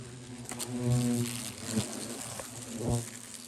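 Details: European hornets flying close around a person at a huge active nest in a hut in eastern Germany. A loud, deep buzzing swells as individual hornets pass nearby, with a few soft taps between the passes.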